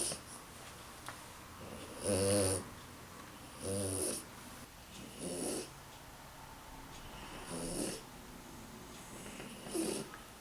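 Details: A tired French Bulldog snores in loud, rattling breaths roughly every two seconds.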